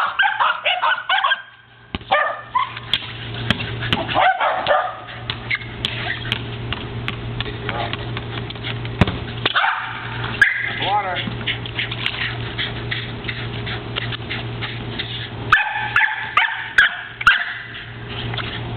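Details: Two Corgis herding and playing with a ball give excited, rapid barks and high yips in quick bursts, with a low steady hum beneath.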